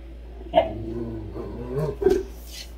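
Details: A Great Dane gives two short, deep woofs about a second and a half apart over a steady low hum during morning playtime, as it and another dog are kept out of a room.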